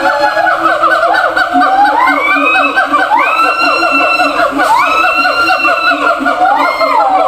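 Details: Zoo siamangs kept in separate cages, shouting to communicate with each other across a distance: overlapping tones rise steeply in long whooping glides, several voices layered into a dense, continuous chorus.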